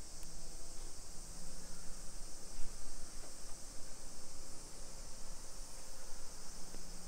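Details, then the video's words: Early-afternoon summer cicada chorus along residential streets in suburban Nagoya, Japan, 28 July 2021; a dense, steady metallic hiss holds without a break, while a few faint clicks and a low hum from the neighborhood pass underneath. "Summer Cicadas Sounds"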